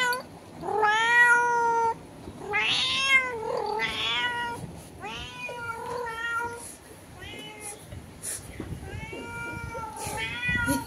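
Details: Indoor cat trading calls through a window with a cat outdoors: a run of irregular meows, some long and wailing, others short and choppy, fading somewhat toward the end with faint clicks between.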